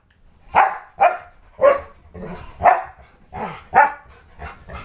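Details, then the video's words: Pit bull-husky mix dog protecting a newborn baby from pretend attacks, giving a run of about nine short, loud, harsh barks spaced roughly half a second apart, each dropping off quickly. "Pit/Husky Protects Newborn"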